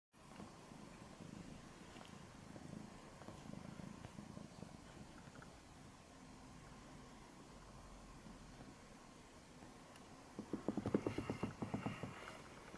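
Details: A cat purring while kneading her favourite red blanket, blissful and content, filmed 2 April 2015 indoors: a soft, steady low rumble throughout, growing louder and more pulsing near the end.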